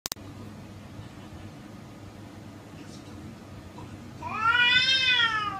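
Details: Two female cats fighting fiercely; after a quiet stretch with faint background noise, one long, loud, harmonic yowl rises and then slowly falls near the end.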